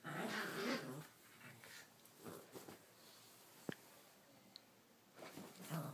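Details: A playful female Miniature Pinscher, almost one year old, plays on a bed, giving low, rumbling growls in short bursts with soft whimpers between.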